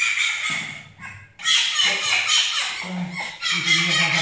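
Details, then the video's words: Djinn, a pet fennec fox, gives loud, harsh squealing screams in rapid bursts, broadband and piercing, with a brief pause near one second before the shrill calling resumes and continues without letup. "Cute but LOUD | Funny Sounds Compilation 2021"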